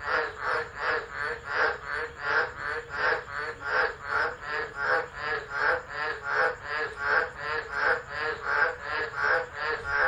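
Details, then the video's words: Frogs of the tropics singing during a tropical low at Driver, Northern Territory, Australia, December 2013, captured by an unattended phone; dense, steady pulses of grating croaks repeat over and over, a continuous throbbing chorus. "Tropical Storm Frogs Singing"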